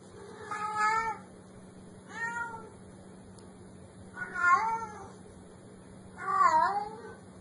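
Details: Black kitten, described as cute and playful, gives four drawn-out, arching meows about two seconds apart, each with a rich stack of harmonics and a short wavering end, over a faint steady hum.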